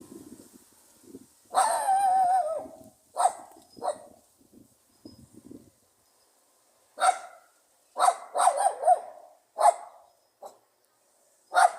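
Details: A pug gives a drawn-out wavering bark, then a string of short, high, yappy barks, sharp and confident with a lively tone that sounds surprisingly strong for its small size.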